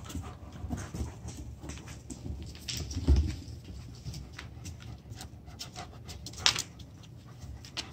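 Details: Black and tan German Shepherd puppy Samson, in his first week home, playing with older dogs Sophie and Stella, a miniature American shepherd. Breathy, uneven panting fills the clip, with a sharp thump near three seconds and a brief squeak later.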